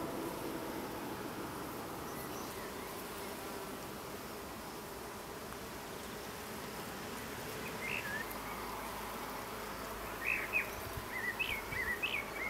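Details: Honey bees gathering nectar in a grove of fully flowering acacias in the Berici Hills during an early season: a soft, steady hum throughout, with a few short bird chirps near the end.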